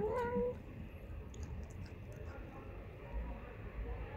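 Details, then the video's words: Stray street cat, described as loud and cheeky, gives a short wavering meow at the start, then quiet street background with faint rumble for the remaining seconds. "This Is the Loudest, Cutest, Cheekiest Cat I've Ever Met on the Street"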